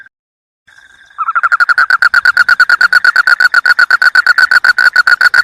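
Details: Frog croaking: after a brief quiet start, rapid rattling pulses at a mid pitch run quickly and continuously, about three per second in loose bursts, with no other sounds.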